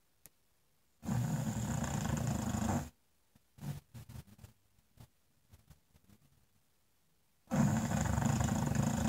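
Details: An English Bulldog lying in front of a fireplace snores with long, rasping, low rumbles, softer snorts falling between them.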